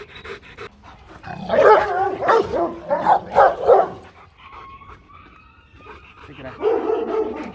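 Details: Rottweiler guard dogs from a Rottweiler kennel: a burst of four or five loud, rough barks in quick succession, then quieter whining and a person's voice, with faint speech in the background.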